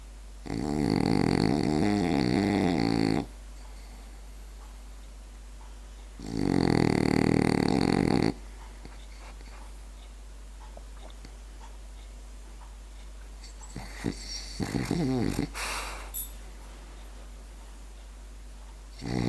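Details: Asleep French bulldog giving two long buzzy snores a few seconds apart, later broken, softer snuffling sounds and a short final burst.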